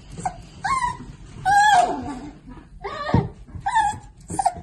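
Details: Mini Dachshund whining in bursts: clear tonal yelps that waver and fall, about five separate cries over the stretch, one sharp thump midway, quiet room noise underneath.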